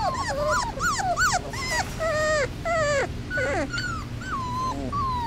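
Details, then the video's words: Several 3-week-old Basset Hound puppies, outdoors for the first time, cry for their mother together in high, wavering whines that overlap and rise and fall. "Basset Hound Puppies in HD! - 3 weeks old + 1st time outdoors"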